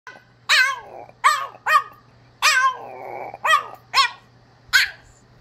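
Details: A blue French Bulldog gives a series of short, arching, monkey-like yowls, howling needily for attention.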